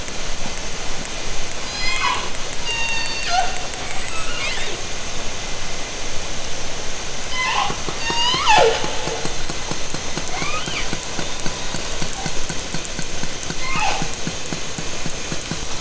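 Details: Orcas recorded underwater by hydrophone from a kayak in Haro Strait, summer 2010: several harmonic calls with rising and falling sweeps, some sharply descending, spaced a few seconds apart over constant crackling water noise.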